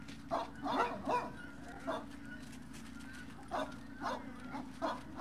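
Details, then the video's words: Breakfast time at the Service Dog Project, Ipswich, Massachusetts, February 8, 2017: scattered sharp barks in irregular bursts, some doubled, with a low mechanical hum underneath. "SDP: Breakfast Feb 8 2017"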